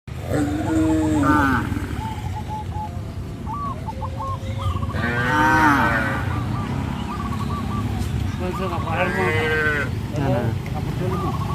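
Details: Cows being led out to green grass fields, giving drawn-out, deep harmonic moos, one loud swelling call midway and another near the end, over steady low rumbling background and short repeated chirping from other animals.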